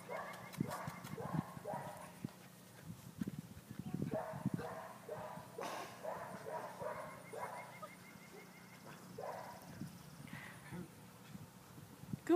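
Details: A roan English Springer Spaniel playing with a tennis ball alongside another dog barks in short, punchy bursts, sometimes in quick pairs, under a second apart, while a person praises it over a low steady hum.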